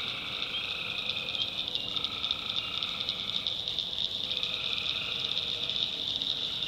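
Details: Nighttime tree frog chorus in the North Carolina backwoods. A high, constant pulsing trill is joined by two lower droning phrases, each about a second or more long, rising out of the background.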